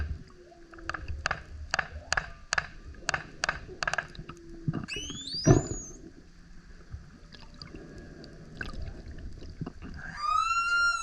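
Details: Male humpback whale singing loudly while surfacing again and again beside a kayak: a row of evenly spaced pulsed beats, then a sharp rising sweep and later a bright, harmonic upward-curving tone, with water gurgling throughout.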